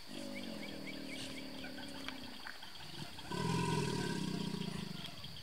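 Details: Large male American alligator at Brazos Bend State Park, Texas, USA, bellowing in reply to another gator as mating season starts: a deep, harmonic rumble fades out, then a louder, rough, vibrating roar follows, with chirping birds and a steady high insect drone.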